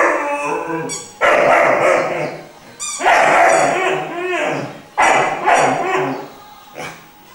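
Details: Three-month-old Irish Wolfhound puppy Glor na Gael Iarla singing: rough, broken howl-yelps in uneven bursts about every two seconds, noisy and strained, fading to quieter whines at the close.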